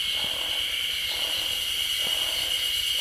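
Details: Yezo spring cicadas calling from roadside woodland in suburban Sapporo, Hokkaido, a sign summer is coming: dense unbroken high-pitched whine with faint lower pulses recurring.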